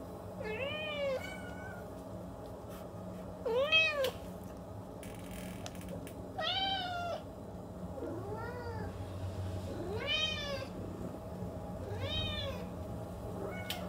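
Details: Repeated short meows from a house cat, roughly seven arched calls spaced one to two seconds apart, each bending up and down in pitch, over a constant low room hum and a few clicks.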